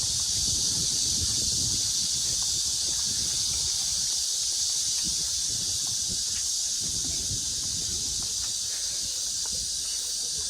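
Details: Loud, steady cicada drone at Mujinjeong, August 2, 2021, around 1 p.m., a bright sizzling buzz filling the air without pause, with quiet low rustling beneath it.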